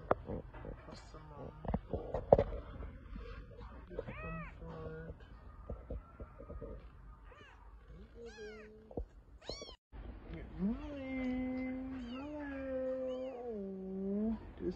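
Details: Rescued kitten from a deserted place crying a lot: several thin high meows early on, then a long loud wavering meow from about eleven seconds onward, with faint music and light handling noise.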